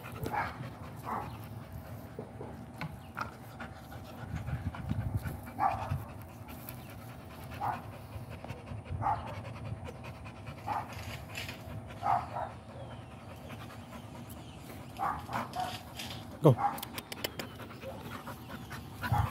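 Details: American Pit Bull Terrier panting in soft, breathy bursts that recur every second or two, with a low background rumble and a sharp click near the end.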